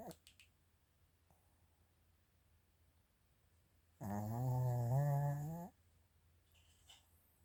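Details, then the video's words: Female Mal-Shi Chiroru, Maltese sire and Shih Tzu dam, born 22 July 2017, sleeping indoors: a single low, droning snore of nearly two seconds with a slight upward slide, set between soft clicks and small rustling noises in a quiet room. "マルシーズー ちろる いびき"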